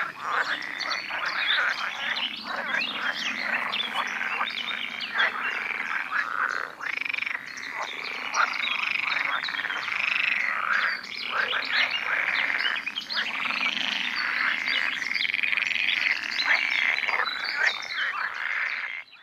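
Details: Many male pool frogs calling together in a sunny-day pond chorus in the Netherlands, attracting females during the late spring mating peak; steady dense rattling and croaking without pause.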